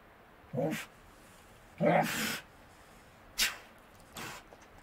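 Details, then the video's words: Wild Tasmanian devils feeding at night in the Tasmanian bush; two short low growling calls with harmonics, each under a second, followed by sharp snorting bursts and faint crunching. "Tasmanian Devil Sounds - Growls & snarling calls from wild devils in the Tasmanian bush"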